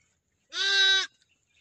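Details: A single short, bright, steady bleat of about half a second from a one-day-old lamb in a village, against near silence.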